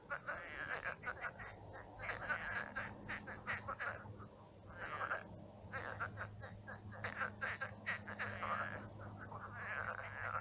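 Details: Many frogs croaking at night in a shallow pond turned marsh, Russia; dense overlapping rattling croaks in bursts, some pulsed, forming a continuous chorus with a steady low hum beneath.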